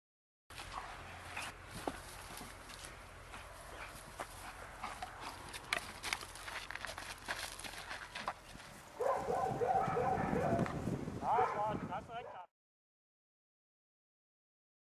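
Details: German Shepherd in police dog training outdoors: a steady rustle of movement and footsteps, then a cluster of short, harsh, harmonic barks near the end before the sound cuts off.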